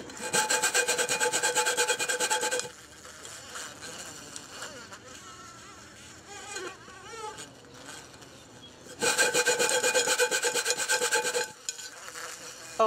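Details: An angry bumblebee gives loud, harsh, steady buzzing in two bursts, with quieter murmuring voices between them.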